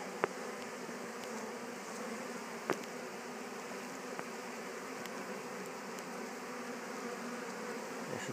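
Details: Western honey bees returning for the second time to their Warre hive after swarming and absconding, filmed up close: a steady, dense, even hum of many wings holds throughout, with a few sharp clicks and taps.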